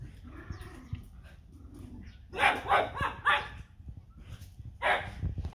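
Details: Six-week-old Border Terrier puppies: soft whines at first, then a burst of harsh yapping barks in quick succession, pausing and returning with another bark near the end.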